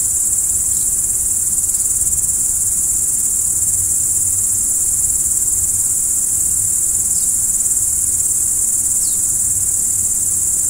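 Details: Steady high-pitched cricket trilling fills the night air, with only a handful of faint, short falling chirps scattered through it and a soft low hum below.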